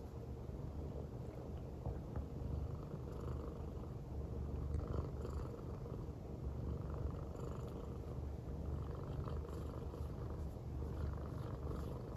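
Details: Purring of a female silver tabby American Shorthair cat born in January 2019. She lies on her owner's belly in an affectionate mood, giving a deep, even, motor-like rumble that swells slightly midway and carries on throughout.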